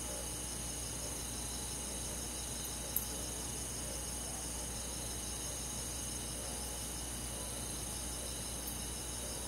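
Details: Crickets with forest insects chirping through a summer night in the country, a constant high trilling mass of rapid pulses, one sharp click around the third second, and a quiet low hum.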